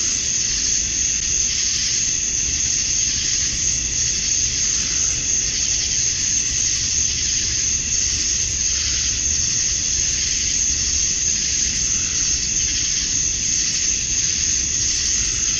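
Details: Many male cicadas calling for mates at summer dusk in Georgia, USA: a steady, intense buzzing hiss with a shrill tonal edge, rising and falling softly in waves over the clip.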